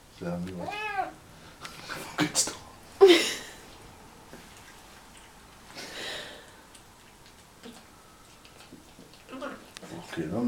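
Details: A Siamese cat eating gives short, wavering meows with a muffled, chattering quality, talking with his mouth full, with human voices nearby.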